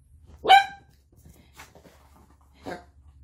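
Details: Male Yorkshire Terrier, born December 2011 and over ten years old, indoors at home with a Poodle; one sharp loud bark, then softer short yips about one and two seconds later in a quiet room.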